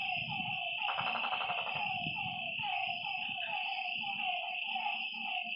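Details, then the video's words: Night-time frog calls by a lake: a fast buzzy pulsed burst early on, then short falling notes repeated quickly, all over an unbroken high drone. "Lakeside night creatures and frog sounds"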